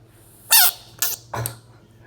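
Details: Bullfrog. Three abrupt, piercing screams from a bullfrog come in quick succession, each lasting a fraction of a second. The cries are harsh and raspy with a slight downward slur, separated by brief quiet pauses.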